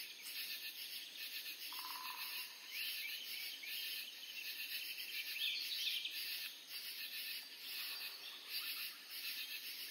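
A continuous high, hissing trill of katydids fills the air, rough and finely pulsed with slight swells in loudness. A brief lower tone and a faint chirp sound once against the insect chorus.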